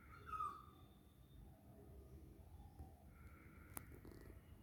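A Persian cat in heat gives a soft, continuous purr, a low throbbing rumble that runs without pause. A brief higher tonal sound comes near the start, and faint background noise is present.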